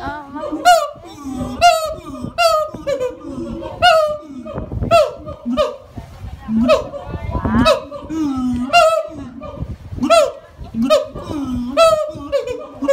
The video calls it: A Siamang! (Symphalangus syndactylus)